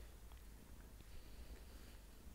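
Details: A small domestic cat purring, a short stretch of low, even, pulsing rumble with no other clear sounds.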